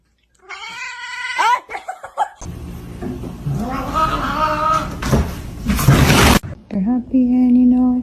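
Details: Cat giving a drawn-out rising meow, then a mixed stretch of wavering caterwaul-like cries over noisy rustling and a loud burst, ending with a flat sustained low moan.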